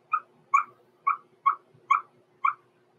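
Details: Blenheim Cavalier King Charles Spaniel puppy, six weeks old, overnight in the Red Barn Cavaliers puppy pen, gives six short, clipped yelps, evenly spaced about every half second, over a faint steady hum.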